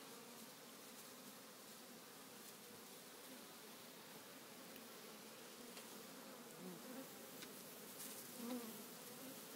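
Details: Swarm of African honey bees on the ground after the cluster grew too heavy and fell, hunting for their queen; an even, continuous buzzing drone across the whole stretch, without breaks.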